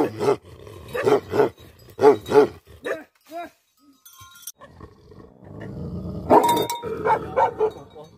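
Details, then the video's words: Tibetan Mastiff (Bhote Kukur) barking angrily in heavy, close-spaced barks. A near-silent pause follows with faint tones, then another burst of loud barks over a background hum. "Angry dogs barking effect sound ||Tibetan Mastiff || Bhote Kukur"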